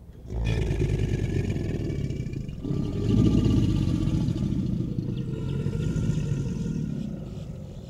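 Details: An American alligator bellows as mating behaviour, a deep, rumbling roar that rolls on for several seconds.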